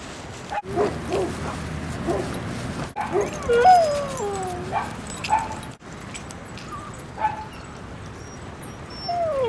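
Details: Two dogs playing at Seal Point Dog Park on the western side of San Francisco Bay, February 10, 2015: high sliding whines and short yips, some falling in pitch, over a noisy outdoor background.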